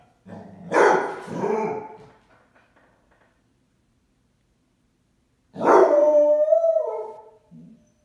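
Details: Basset Hound upset because its owner went out on errands and it could not join her; two loud drawn-out howling cries with rough, wavering tone, each about one and a half seconds, separated by a long quiet pause.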